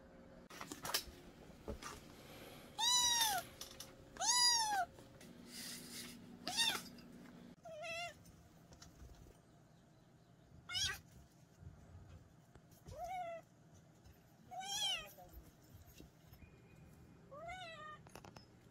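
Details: Kitten's meows, loud arched harmonic cries in bursts, then softer, shorter mews spaced every couple of seconds, with a brief low hum between and quiet background.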